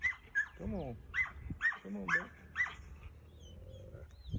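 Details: Wolfdog growling and snarling during play mouthing, which is normal for these mouthy animals: two short, low, harmonic growls, with a string of quick, high, squeaky notes repeated over about four seconds.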